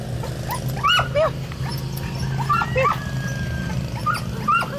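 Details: Dogs reacting to Billy, a black cat, give sparse, thin, high yips and short upward-curving whines every second or so. A constant low droning hum runs throughout.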